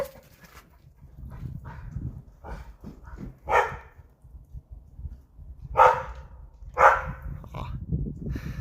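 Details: Pet dog barking at nothing indoors, apparently wanting to go out: scattered sharp barks at irregular intervals, about one per second, with a person talking quietly between them.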